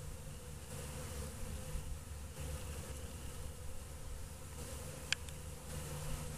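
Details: Kept honey bees stirring after a long winter, giving a soft, even, low hum of stacked tones that holds steady throughout, with a faint background hiss and a single sharp click.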